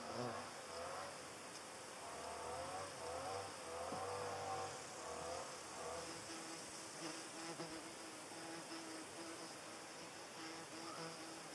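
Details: Hornet chasing away butterflies, its flight buzz low and droning with a wavering pitch, swelling and fading in uneven bursts over faint background hiss.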